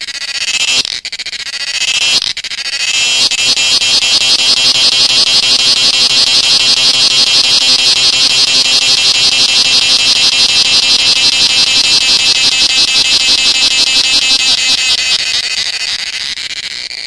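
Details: Cicadas in the forests of Goa, India, sing a loud, shrill, pulsing buzz that holds steady at a high pitch.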